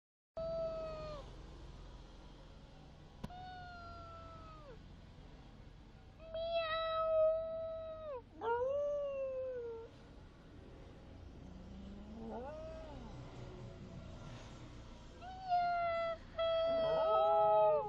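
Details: Harry, a 7-and-a-half-year-old pet dog, reacting to high-pitched sounds with drawn-out, tonal whining howls that bend downward at the end, in separate bouts with quiet gaps between them; a final longer, wavering run comes near the end.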